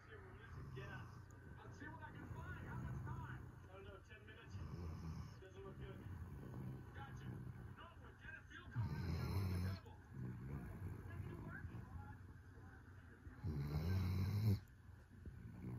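A sleeping Weimaraner snores in deep, rumbling breaths, with louder rasping snores every few seconds.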